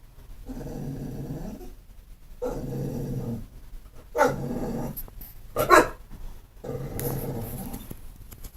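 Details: Pit bull, not mean or vicious, producing repeated low rumbling growl-like grumbles of about a second each, broken by a couple of short harsher barks.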